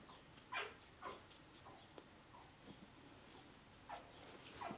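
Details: Male dog, the first male of the P litter, producing high descending whines: two close together near the start, then a pair near the end, separated by faint soft squeaks in a quiet room.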